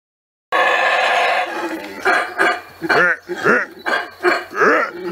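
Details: Howler monkey roaring in Belize: a loud, harsh, sustained roar opens, then breaks into a run of rough, grunting pulses arching up and down roughly twice a second.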